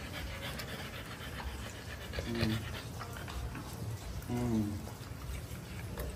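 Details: French bulldogs, a household group including Mountain, eating watermelon (pakwan) indoors; steady noisy panting and breathing run throughout, broken by two short voiced, harmonic bursts about two seconds apart.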